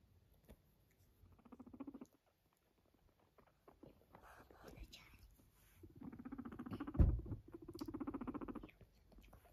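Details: A pet guinea pig purring indoors: two bursts of low, rapidly pulsed buzzing rumble, one near the start and a longer one later, with faint handling noises between.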